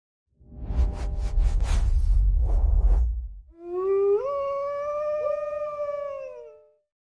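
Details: Indri, the largest living lemur, in the misty rainforest of Madagascar: after a rough, noisy burst, a long clear wailing note rises in a sudden step, holds steady, then climbs again, with rich harmonics and a wavering quality.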